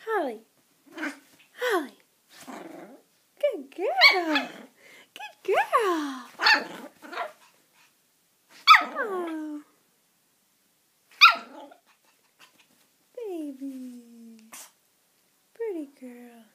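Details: Female puppy playing with its owner: a run of short, sharp barks with sliding, falling pitch in the middle, then two drawn-out whines near the end, with a woman's cooing voice in between.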